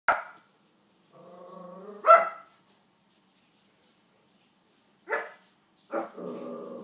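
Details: King Charles Spaniel barking at Olly Murs: four short, sharp barks spaced irregularly, with a sustained, steady tonal voice sounding between them.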